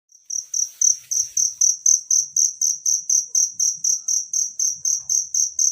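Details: Natural cricket sound, offered as tutor material for training songbirds: a high, bright chirp pulsed steadily about four times per second, starting after a brief silence and continuing evenly throughout, with faint low rumbles beneath.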